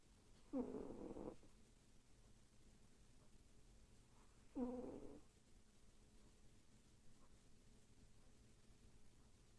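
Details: Sleeping pet cat, a female, snoring and twitching and vocal while dreaming; two brief, quiet, throaty mews about four seconds apart over a faint steady hum, otherwise near silence.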